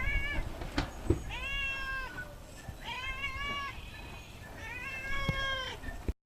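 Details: Domestic cat giving four clear, drawn-out meows, each rising then falling and lasting about half a second to a second, spaced irregularly, with faint background noise and a few clicks.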